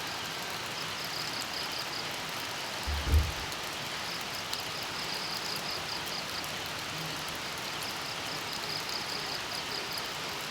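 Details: A cricket's high, buzzy trill comes in steady bursts beneath the hiss of falling rain in tropical countryside at dawn on Camotes Island.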